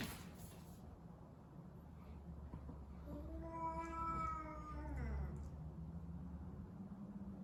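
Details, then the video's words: Cat meowing during a cat fight: one drawn-out, harmonic-rich meow of about two seconds, holding steady before sliding down at the end, over a low steady hum. "Funny meow sounds during the cat fight"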